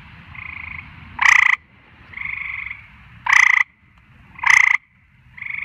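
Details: At night, frogs alternate loud grating croaks, about one every second or so, with softer drawn-out buzzy trills between them, over a faint low rumble.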